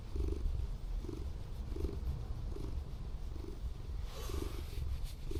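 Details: A Scottish Fold cat, a former rescue, purrs very loudly and steadily while being affectionate during a car camping night at an abandoned harbour, a low rumbling throb pulsing in an even rhythm.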